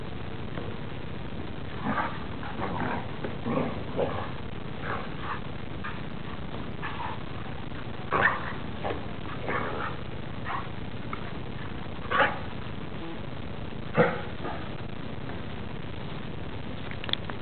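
A Catahoula Leopard Dog gives short, irregular barks and softer huffing sounds over a low background rumble.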